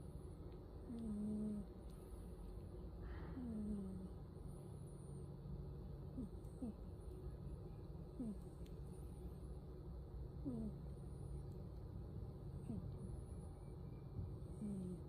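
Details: Domestic cat asleep and snoring: soft low rumbling breaths, each ending in a brief squeaky upward whistle, recurring every two to three seconds, with thin high whistles faintly audible behind.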